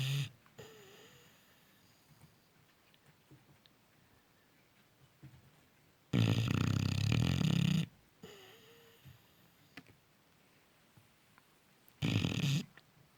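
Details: Cane Corso puppy in deep sleep, snoring loudly. Two loud, grating snores come about six seconds apart, separated by quiet breathing with faint whistled notes on the exhale.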